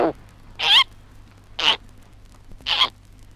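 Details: A baby koala about six months old in Australia gives three short, high, squeaky cries, about one a second, over faint low hum and hiss.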